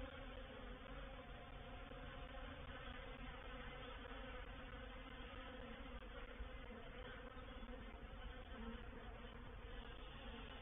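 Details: Swarming honey bees moving into a swarm trap, Painted Peacock Manor, 04/07/21; steady dense droning buzz with slight wavering in the mid-pitched hum and no other clear sounds.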